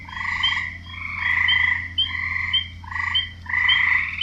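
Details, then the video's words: Frogs croaking in wetland, grating pulsed calls in rhythmic bursts under a second long, several voices overlapping, over a noticeable low droning hum. "Relaxing Sounds Series - Part 13 - Frogs"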